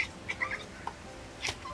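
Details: Cat (Felis catus), teeth chattering: predatory excitement and frustration at unreachable prey.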